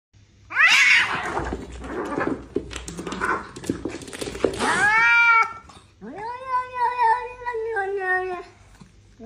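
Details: Domestic cats fighting: a harsh, noisy hissing and spitting burst gives way to long wavering yowls, rising then falling, drawn out over several seconds.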